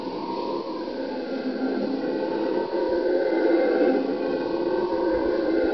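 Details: Howler monkeys in a steady, droning chorus of howls, a dense rumbling roar with a faint higher tonal overtone, holding without pause and swelling louder about halfway through.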